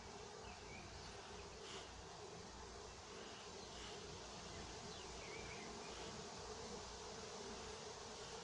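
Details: Apiary in Nowa Aleksandria, summer 2021, with honey bees at work: a continuous low swarm drone from many insects, even in loudness from start to end, with faint higher whines drifting over it.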